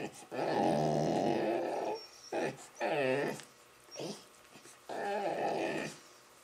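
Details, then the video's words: Playful Labrador Retrievers roughhousing with a Rottweiler puppy make funny vocal noises: a long, wavering, moaning growl, then short bursts of warbling growl-moans broken by brief pauses, and a final sustained groan. "Check out the funny noises the Labradors making while playing with our Rottie puppy!"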